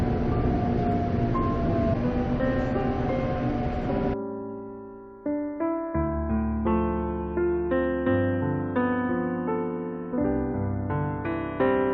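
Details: Piano music fills the whole stretch, with a dense sustained passage giving way to separate, evenly struck keyboard notes and chords, and no animal voice anywhere.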